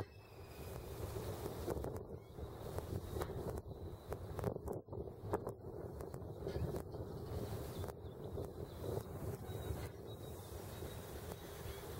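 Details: Steady low rumble of wind and engine or boat noise, with scattered clicks and knocks; no animal calls are heard.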